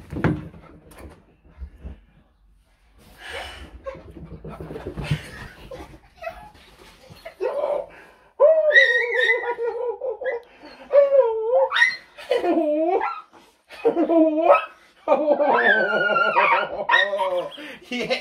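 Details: A Cocker Spaniel, overjoyed at its owner's return, greets them with warbling, wavering whines and yodels that rise and fall in pitch.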